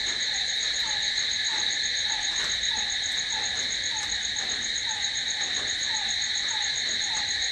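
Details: Crickets calling at night: a steady, shrill, unbroken high trill fills the background, with a lower short chirping note repeated roughly three times a second.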